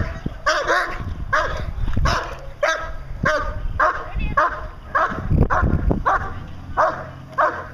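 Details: Fourteen-month-old German Shepherd Dog Achilles vom Darland Haus doing Schutzhund protection work, giving a run of loud, sharp barks roughly every half second to second, with a person's voice mixed in.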